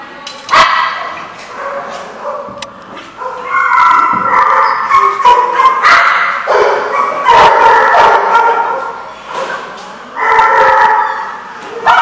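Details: Several dogs barking at a dog facility called The Barking Lot, recorded 24 October 2014; overlapping yips and higher whiny barks in bursts, with loud stretches around four to nine seconds and again near ten seconds.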